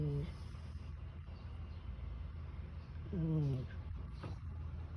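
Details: Sleeping domestic cat snoring like a human after a tiring night: two tonal, falling snores about three seconds apart, each under a second, with a steady low hum and room noise between breaths.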